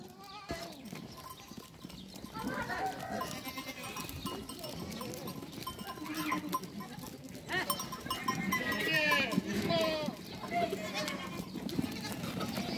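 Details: Goats and kids meeting bleat repeatedly in wavering, nasal cries, with human voices and music in the background.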